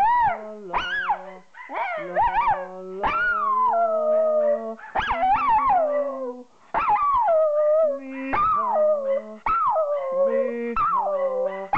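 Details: A female Jack Russell Terrier cross Yorkshire Terrier howls along in short, rising-then-falling wails, joining in when a person sings.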